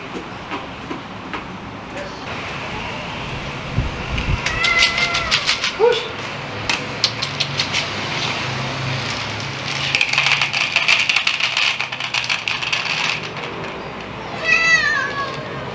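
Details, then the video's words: Outdoor kittens at mealtime meowing for food: a few short, high, wavering meows near the middle and again near the end, surrounded by dense clicking and clattering noises. "Kittens meowing for food"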